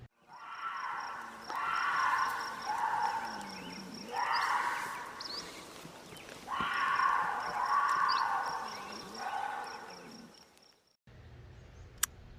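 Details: Female mountain lion in heat yelling, from a recording played to match a call heard at night about 100 yards from East Rosebud Campground. Two long, harsh, wavering screams, each lasting several seconds, are split by a pause, with faint regular high ticks behind them.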